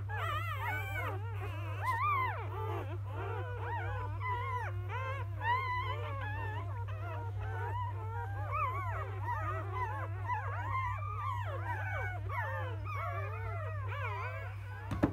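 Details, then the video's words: A litter of eight newborn field-type Labrador Retriever puppies, mother named Bee-chan, cry together in a chorus of thin wavering squeals and whimpers that bend up and down without pause, with a constant low electrical hum beneath. "Labrador puppies are now born ！"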